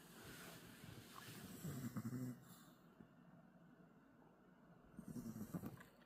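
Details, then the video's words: Riri, a pet puppy, snoring while asleep: two low, rasping snore breaths about three seconds apart, near two and five seconds, with quiet breathing between and soft background hiss. "리리 코골이"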